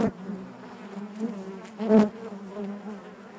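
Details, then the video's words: Honey bees buzzing inside their hive: a dense, steady low hum with stacked overtones, swelling into a louder burst near the two-second mark, as individual bees pass close. "bees therapy hive natural buzzing sound"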